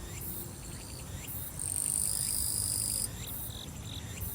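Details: Grass insects singing in summer at Soyosan, South Korea: a high, bright, continuous buzzing trill that swells strongly for about a second and a half midway, with softer chirping insect voices around it and faint low thumping music beneath.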